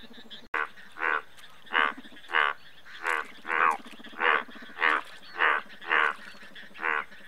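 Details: Indian bullfrog calling in a steady series of loud, harsh, rasping croaks, roughly one every 0.6 seconds, over a constant low hum of other frogs.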